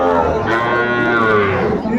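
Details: Sahiwal bull calf at a cattle market in Comilla, recorded 10 February 2025: one drawn-out, steady, harmonic moo lasting about two seconds, with buyers and sellers bargaining nearby.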